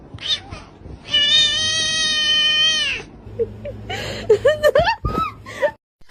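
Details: Pet cat at a birthday gathering where a cat named Macaroni turns one; a long, steady, strongly harmonic yowl of about two seconds, then several short rising and falling sounds mixed with people talking.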